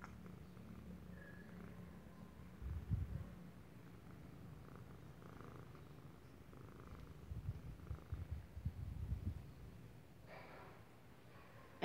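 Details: Fourteen-year-old female cat purring indoors, a steady low rumbling purr that swells and fades with each breath, with faint room noise.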